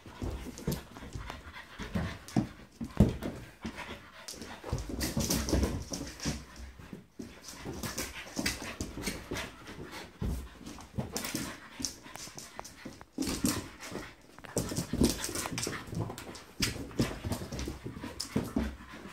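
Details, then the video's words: Playing French Bulldog tackling a balloon: long stretches of busy snuffling and heavy panting, dense scraping and rubbing noises, and brief quieter pauses between bouts of scuffling. "Francia bulldog vs lufi"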